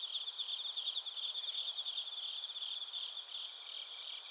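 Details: Chorus of bell crickets and crickets from Narita, Chiba Prefecture, Japan, recorded on a TASCAM Portacapture X8: shrill, rapidly pulsed chirping stronger in the first half, fading slightly, over a steady high insect drone.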